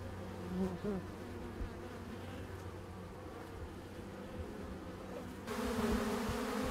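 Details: Honey bees in a dense, steady droning buzz, low hum layered with a higher whine, many wingbeats blending together; the swarm grows louder and harsher for the final second.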